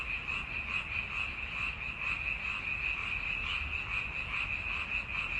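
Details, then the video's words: A crowd of frogs croaking together, a steady stream of quick, shrill, pulsing notes from many animals merging into one unbroken wall of sound, with soft low background hum. "Croaking Frogs Sound Effect"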